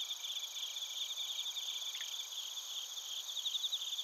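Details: Crickets including bell crickets in Narita, Chiba, Japan, captured with a TASCAM Portacapture X8; overlapping high-pitched chirps form a continuous ringing band, with a fast buzzy pulsing trill riding on top throughout.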